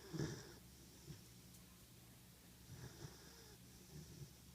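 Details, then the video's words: Chewbacca, a 14-week-old German Shepherd puppy asleep in an office, snores softly: low raspy breaths recur about every one to two seconds, the first one loudest, over a quiet indoor hum. "Chewbacca, snoring in my office part 2"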